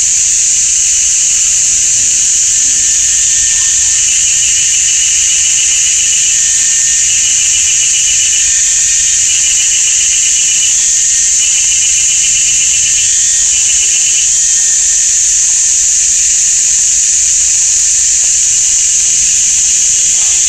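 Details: Very loud cicada chorus filling a sunny summer forest at GuanYin Shan, Taiwan; an intense, steady high whine with a brief wavering, pulsed layer in the middle, no other sounds.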